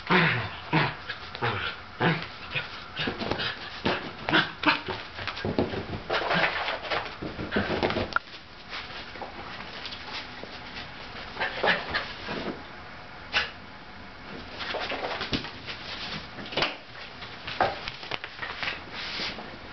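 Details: An older sable Shetland sheepdog, excited and wanting to play with a younger ginger tabby cat, gives rapid bursts of yelps and whimpering barks, densely packed through the first eight seconds, then sparser, scattered sharp sounds over a quieter room background.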